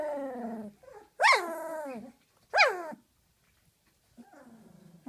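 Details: A 19-day-old large female Doberman Pinscher puppy growls to guard her bed after her first dinner of big dog food. A long high falling whine is followed by two sharp rising-then-falling squeals and a faint, grumbling tail.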